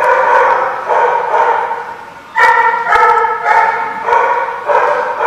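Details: Repeated harmonic dog barks, a steady string of short loud bursts roughly every half second after a brief lull, with faint sharp taps in the background.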